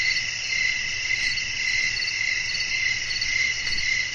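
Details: Night crickets in a calming sleep ambience with wind; dense, shrill trilling pulses run continuously at an even pace above a quiet, steady rushing backdrop.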